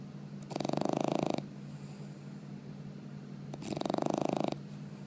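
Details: Snoring of a bulldog puppy aged four months: two loud, buzzy, rattling breaths about three seconds apart, each fluttering rapidly for nearly a second over a constant low background hum.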